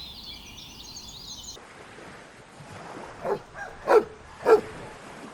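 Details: Puppies running and playing together on a grass meadow; after a short burst of bird chirps, three loud, sharp barks follow about half a second apart, the last two strongest, over a soft outdoor background.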